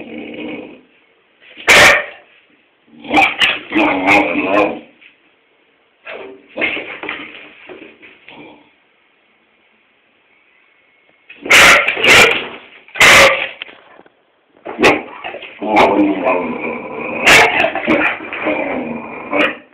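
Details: Springer spaniel Tobi barking at its owner for no reason inside the home; clusters of sharp barks and whimpering yips, a quiet spell midway, then a renewed run of loud barks and whines.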